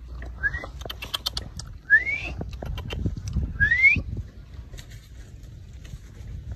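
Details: Two rescued stray puppies found at a small cottage in a village give three short, rising whistled whines a second or two apart, over low rustling and clattering handling noises.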